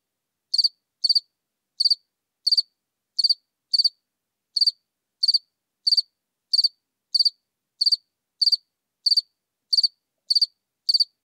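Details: House cricket singing at Seewiesen, Germany, on 4 January 2021: short, high, buzzy chirps repeated at uneven intervals of roughly half a second to a second, eighteen chirps in all, over a silent background.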